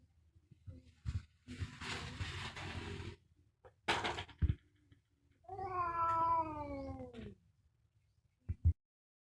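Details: Fighting domestic cat giving one drawn-out wavering yowl that slides downward over about two seconds, preceded by rough hissing bursts and thumps of scuffling, with low background rumble.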